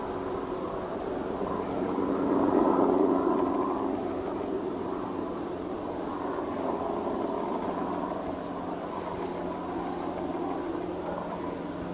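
A steady low mechanical rumble, like a passing vehicle or train, with no animal calls.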